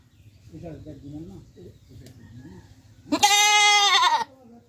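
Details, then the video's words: Domestic goat giving a single loud, wavering bleat lasting about a second, preceded by several seconds of soft, low murmuring sounds in the background. "Goat Sounds Effect"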